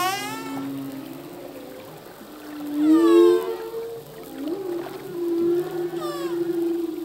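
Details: Singing male humpback whale, underwater: long level moans and groans underneath, with bursts of bright harmonic upsweeping cries at about three and six seconds.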